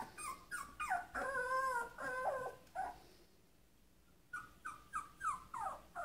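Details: Sheltie puppy whining to be let outside: a run of falling, wavering high cries, then a brief quiet gap, then several short descending whimpers.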